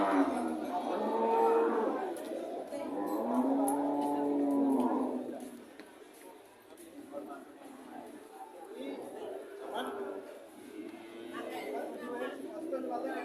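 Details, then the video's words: Cattle at a market lowing repeatedly, one long steady moo lasting about two seconds followed by quieter overlapping moos, with chatter and general bustle behind. "Sound of cow"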